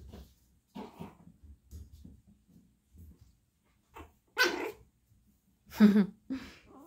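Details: Chihuahua puppies, a brother and sister: low, soft snuffling grunts repeat for several seconds, then two loud, sharp, broadband yaps burst out, a short softer yelp following the second.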